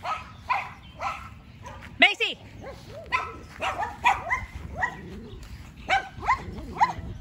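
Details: Yorkshire Terrier Macy barking back and forth with the neighbour's two dogs; scattered high yaps and one louder, deeper bark, with a voice calling in the background.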